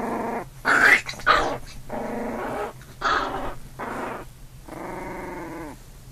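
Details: Older puppy and newborn puppy tussling indoors: loud rasping growl bursts, then several steadier harmonic growls, ending in a long even growl.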